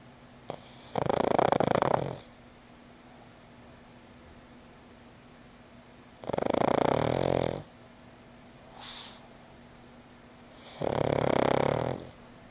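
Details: Black female pug asleep indoors, snoring: three loud, rasping, breathy snores about four and a half seconds apart, each lasting over a second, with a soft short snort between the second and third and a faint steady hum in the room.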